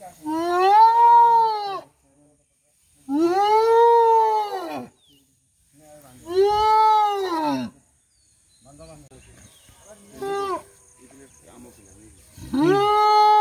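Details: Rescued elephant calf from Dudhianali forest near Kalimati, Ghatgaon range, not taken back by its herd and handed to Nandankanan, calls while crowds gather: loud arched harmonic bellows about every three seconds, several long ones and a shorter cry.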